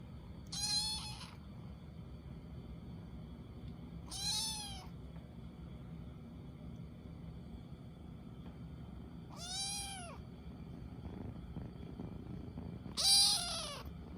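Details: Short-legged dilute calico Munchkin kitten, female, meowing at home: four separate high, arched mews spaced roughly three to four seconds apart, each rising then falling with rich harmonics, over a quiet low background hum.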